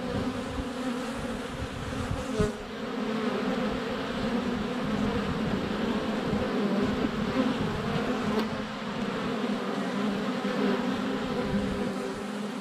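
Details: Honey bees in flight around a hive entrance on a sunny February day, filmed close up with a GoPro Hero 7 Black; a dense, steady droning buzz with layered hums, a few sharp taps as bees land on the camera.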